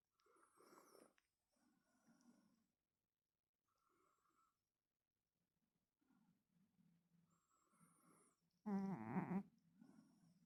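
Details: Pet cat snoring at home: soft, rasping breaths roughly every two seconds, then one sudden loud, buzzy snort near the end before the quiet breathing resumes.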